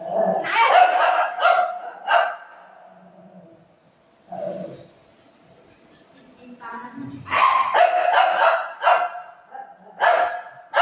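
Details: Golden Retriever dog playing with its owner, giving a cluster of short, sharp barks, then a quiet stretch, then another run of barks and yips, with people talking over parts of it.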